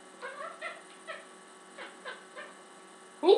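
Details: Talking domestic cat snapping from its perch on the stove, giving a run of six short, harmonic mewing syllables spaced about half a second apart, then a louder clipped sound at the very end; faint mains hum underneath.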